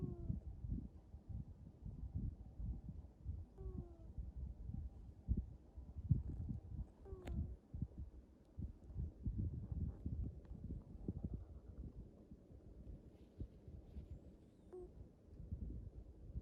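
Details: Black domestic cat snoring: low, rough rumbling bursts come in uneven pulses throughout, with a couple of brief higher tonal squeaks near the middle and the end, and no other clear sounds.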